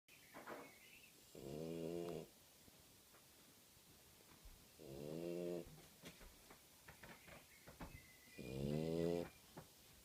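A French Bulldog snores in loud, rasping, buzzy breaths repeated about every three to four seconds.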